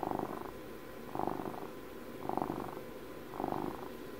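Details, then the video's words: Close ASMR recording of a twelve-year-old domestic cat purring, with four slow surges of buzzing rumble, each lasting about half a second, separated by quieter inhaled purring. "ASMR CAT PURRS"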